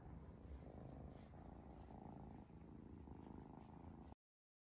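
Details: Purring kitten at home in Vancouver, Canada, newly living with a golden retriever; a continuous deep rumble of rapid even pulses lasting about four seconds, then abrupt silence.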